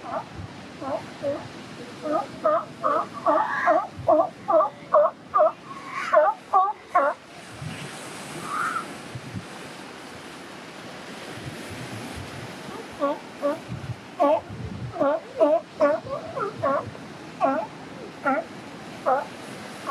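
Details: Newborn California sea lion pup, restless and crying in the morning beside its mother, gives two bouts of short harmonic bleats repeated about once a second, separated by a quiet pause, with faint surf behind.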